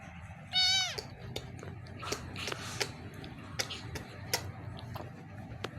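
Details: One of two kittens gives a single high, harmonic meow lasting about half a second, which drops in pitch at its end. Scattered clicks, handling taps and quiet human speech follow in a small indoor space.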